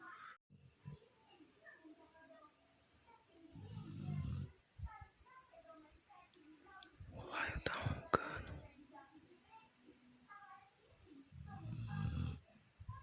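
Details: A Rottweiler sleeping soundly snores in deep, rasping rumbles, with a person talking in between.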